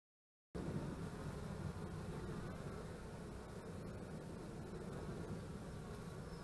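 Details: Honey bees at beekeeping hives on 25 March 2015 produce a low, rumbling buzz. Deep background noise partly blends with the hum.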